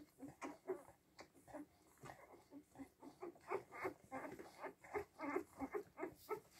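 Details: Week-old Siberian Husky puppies squealing and whimpering in a fast, irregular run of short, high, nasal squeaks, several per second across the whole stretch, overlapping at times.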